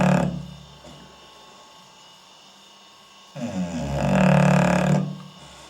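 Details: Asleep at night, Bully the English Bulldog, captured by a night-vision camera, lets out a deep, raspy snore lasting over a second after a long quiet stretch, with the tail of another snore at the start.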